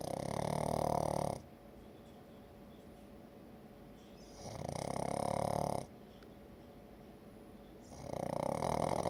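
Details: Pug asleep and snoring, with loud raspy, humming snores in a steady rhythm, one every three to four seconds, each held for about one to one and a half seconds, separated by near silence.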